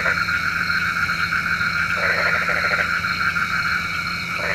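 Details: At night a frog, said to call rain, gives one clear rattling pulsed croak near the middle and a brief start of another at the end, over a steady ringing chorus.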